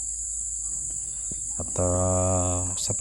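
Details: Gaang, a kind of cricket somewhat larger than an ordinary cricket, calling at dusk in a village. A steady, very shrill, high ringing drone runs through the whole clip, with a man's voice talking over it in the middle.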